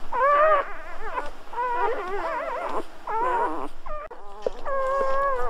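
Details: Newborn Golden Retriever puppies whine in long wavering cries, each lasting about a second, separated by short gaps, one pup's voice clearly in front.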